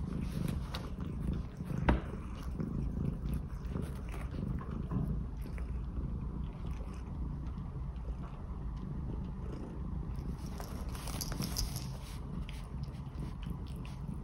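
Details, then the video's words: Domestic cat purring while cuddled, groomed and played with on a rainy, windy day; steady low rumble throughout with scattered rustling and handling noises, brief louder knock near two seconds, faint rain and wind in background. "Cat ASMR 🎧 Cuddling, Grooming, Playing"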